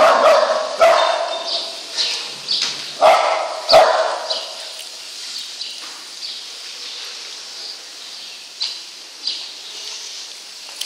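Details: Lhasa Apso Jacky driving a farm's cows out of the barn unprompted; a burst of loud, quick barks at the start, then sparser fainter barks amid steady barn noise.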